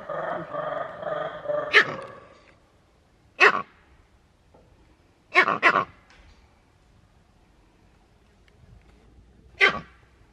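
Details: Cries of a captive male green monkey, Novosibirsk Zoo, 13 June 2023: five harsh, explosive barks, one a quick double, spaced irregularly over ten seconds, with a person's muffled voice at the start.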